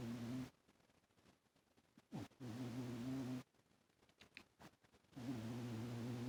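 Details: Sleeping pet cat Toaster snores pretty loud. Three steady, low buzzing drones, each lasting a second or more, come roughly every three seconds, with faint rustles between them.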